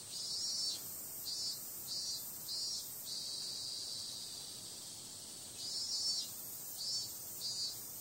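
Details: Night chorus of cicadas in summer, including periodical cicadas: a piercing high buzz that swells in rhythmic bursts about every half second, settles into a long level drone, then pulses again near the end.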